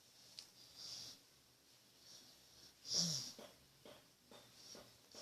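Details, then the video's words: Pet dog snoring softly indoors: quiet, breathy hisses with a brief louder snort near the middle, separated by calm pauses. "Snoring dog funny"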